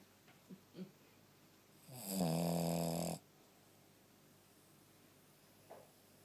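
A Shih Tzu gives one long, rattling, buzzy snore lasting about a second, then quiet breathing.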